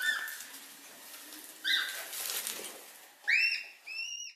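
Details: Red panda making faint squeaks, then two clearer high whistled notes near the end, the first rising sharply, the second flatter, against a background hiss and rustle.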